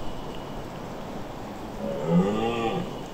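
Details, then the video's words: Red deer stag during the autumn rut in Bradgate Park, Leicestershire: a low, drawn-out harmonic roar that swells in its second half and fades, over a steady rustling outdoor background. "The Red deer rut in Bradgate Park, Leicestershire"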